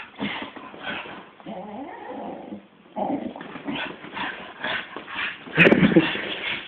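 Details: Pet male Staffordshire Bull Terrier, one year old, making grumbling growls mixed with whiny tones. A steadier tonal stretch runs midway, then a sharp loud burst near the end. The owner's voice and handling noise run underneath throughout.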